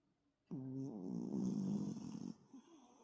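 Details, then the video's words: Toto the toy poodle, known for heavy snoring, dozing soundly after lively play. A single long, loud, raspy snore with rich buzzing overtones runs for nearly two seconds, ending in a softer breathy tail. "토이푸들- 코골이가 심한 귀여운 강아지 토토"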